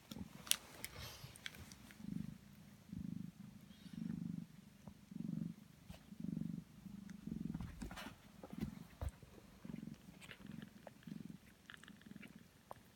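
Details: Steady, rhythmic purring from Sphynx cat Prune as her 16-day-old kittens suckle noisily, low throbbing pulses nearly once per second for the full stretch, with sharp little suckling clicks and smacks on top.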